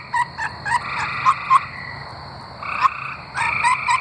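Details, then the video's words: Arkansas tree frogs calling: short clicky notes and brief trills, scattered and irregular, with a faint steady high insect-like tone running throughout. "Singing tree frogs"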